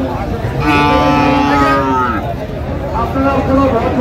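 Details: Cattle at the Raniganj market in Dinajpur on 14 August 2025, where Friesian and cross-bred bull calves are bought and sold. One drawn-out, harmonic, slightly falling moo lasts about a second and a half, with a shorter low call after it, over loud crowd chatter and traders calling out.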